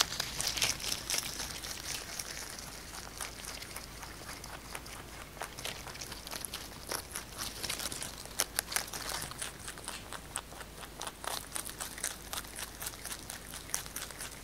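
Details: Pet rabbit Kkotdori eating fresh basil, recorded close up indoors for ASMR. Dense crisp crunching clicks run throughout, with occasional louder crinkly bursts as leaves are bitten and torn.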